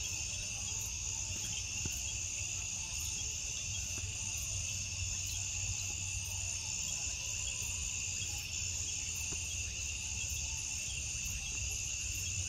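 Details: A nighttime cricket chorus, a smooth unbroken high trill with a faint regular ticking pulse layered on top, steady in loudness from start to finish over low background hum.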